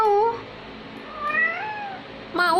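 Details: A domestic cat, described as a talking cat, gives three meows indoors: a clear falling meow, then a softer rising-and-falling one, then another beginning at the end, while a person talks to it in Indonesian.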